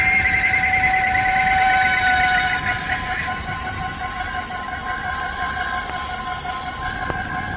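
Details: A chorus of male cicadas in the Malayan rainforest at dawn or sunset, recorded late 1950s to early 1960s: a loud, shrill, siren-like drone with fast pulsing throb, several high tones layered, fading slightly after a few seconds.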